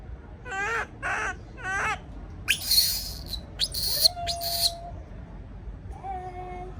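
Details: Baby monkey left alone in a cage and afraid: three short, wavering, harmonic cries in quick succession, then several shrill, noisy squeals, over steady tonal music notes.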